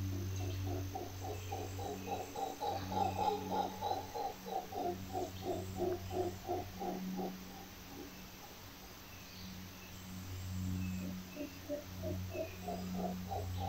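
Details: Howler monkey calling in a rhythmic series of deep, hoarse grunting pulses, roughly three per second, fading after about seven seconds and then resuming more faintly, over a steady low hum.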